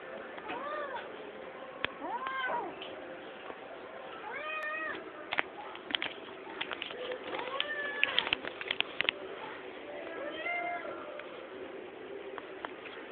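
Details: White kitten, long-haired and blue-eyed, meowing repeatedly: rising-falling mews about every one to two seconds, several in quick succession, while a person speaks softly to it.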